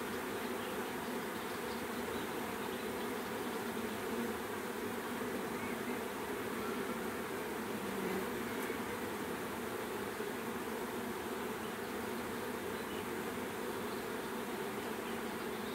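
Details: Continuous droning of a bee swarm, a steady layered buzz that holds at the same loudness throughout, with one brief faint click midway.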